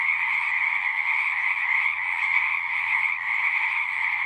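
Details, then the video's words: Pond frogs in a horse pasture, recorded on a Zoom 6, keep up a steady shrill trilling chorus, with faint low pulsing croaks beneath, slightly swelling and fading in the middle. "Frogs singing"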